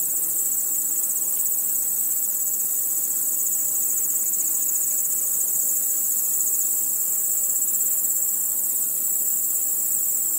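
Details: Crickets calling after dark: a bright, sustained high trill made of quick, even pulses, steady from start to finish, with only a soft background hiss.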